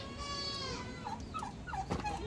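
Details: Farmed goats before being let out, a drawn-out harmonic bleat over the first second, followed by short chirps of other birds and fowl against steady background noise.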